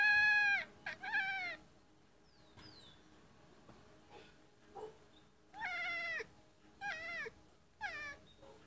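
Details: Domestic cat making a weird chirping noise at birds in a tree outside the window: loud bursts of rapid, trilled, harmonic chirps in clusters, a faint high bird note between them, otherwise quiet room.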